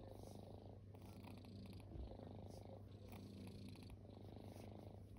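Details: Formerly homeless kittens purring while resting: continuous low, throbbing purr with gentle rises and falls following each breath, quiet and close, with a few light rustling sounds.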